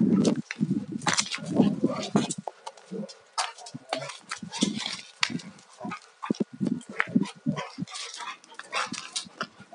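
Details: Alaskan Malamutes fight-playing, a 2-year-old male against a 4.5-year-old fully shed female not in heat; dense low growling opens, then shorter choppy growls alternate with clattering paw and body noises.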